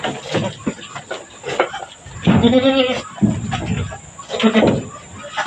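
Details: Mother goat named Mama Brown on a small goat farm, giving birth after her water broke: one loud, quavering bleat lasting about half a second, then fainter short sounds, with people talking nearby.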